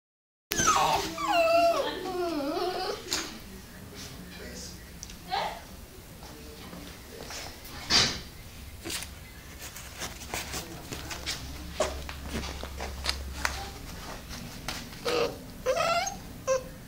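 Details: American Pit Bull Terrier with a white head whimpering indoors; wavering, high whines with bending pitch over the first few seconds, then scattered clicks and faint whimpers, with a low steady hum in the background.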